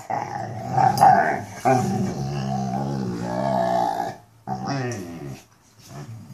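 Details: Mastiffs 'talking': drawn-out, moaning vocalizations with a steady low tone, wavering and rising in pitch, in two long phrases separated by a short pause, loud and close.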